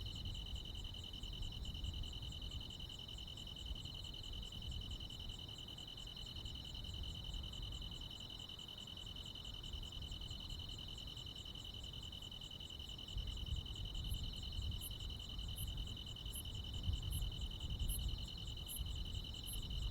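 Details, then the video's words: Crickets and other insects on a midsummer night in the countryside: a steady high continuous trill with a faint, fast pulsing shimmer above it. From about fourteen seconds, sharper high ticks repeat roughly every half second over a low background rumble. "시골 야간 귀뚜라미, 벌레 소리"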